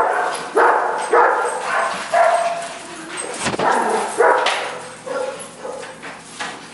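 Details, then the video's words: Four young puppies, all under a year old, including an Italian Greyhound, a Brussels Griffon and a Mini-Dachshund, at play; short sharp barks and yips about every second, uneven in rhythm, with a sudden thump midway. "4 Puppies Playing"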